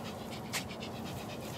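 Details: Pomeranian Spitz named Ricky from the Elenhouse kennel in Kyiv, panting in quick, even breathy bursts about four per second, with one louder puff partway through and indoor room noise behind.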